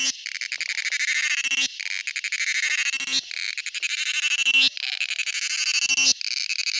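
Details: Male cicada singing: harsh, rapidly pulsed high buzz in phrases of about one and a half seconds, each cut off by a brief pause and restarted, with faint low clicks at the phrase breaks.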